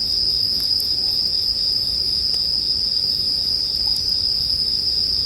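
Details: Steady, high-pitched shrill ringing of bell crickets fills the air without a break, while a campfire pops and snaps occasionally in the background, in a relaxing sleep soundscape.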